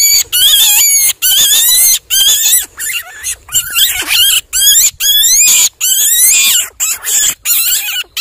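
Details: Caught baby rabbit screaming in fear for its life: piercing, very high wavering shrieks in bursts of about half a second to a second, separated by brief gaps, loud and nearly continuous.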